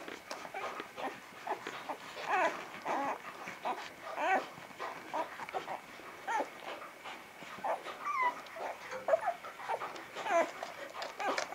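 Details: Young Vizsla puppies of Batai, January 2013, give scattered whining cries, some rising and falling in pitch, over a soft background of rustling.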